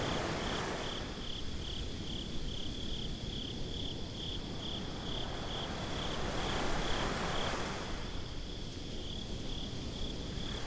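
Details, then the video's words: Crickets chirping at night on a beach, recorded binaurally: a steady high, even pulsing of rapid chirps runs throughout, with broad hissing surf swelling and fading beneath. "Crickets at the Beach"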